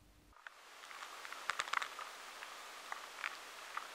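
Faint, irregular ticks and scratchy clicks of a drugstore beetle moving and feeding inside stored food.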